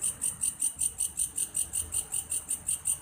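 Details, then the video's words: Grasshopper called belalang kayu, sounding like a cricket: rhythmic high buzzing pulses, about thirteen in three seconds, evenly spaced over a quiet low background. "suara alam "belalang kayu""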